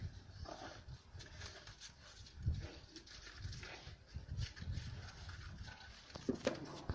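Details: Two Central Asian shepherd dog puppies, females Giranda and Gardarika from Tajikistan flock-guarding stock, fighting each other; low rough growling with scuffling thuds, and a few sharper higher-pitched yelping bursts near the end.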